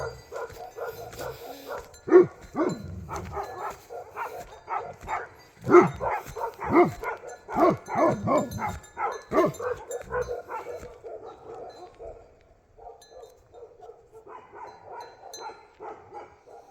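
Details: Bhote Kukur (Himalayan sheepdog) in Nepal giving a run of deep, harsh barks in uneven bursts. A steady, softer pulsing tone repeats in the background and fades near the end.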